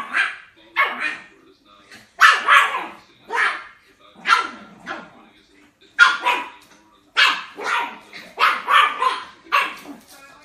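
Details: Puppy barks come thick and fast, roughly fourteen high, snappy yaps spread evenly across the stretch, a few doubled close together.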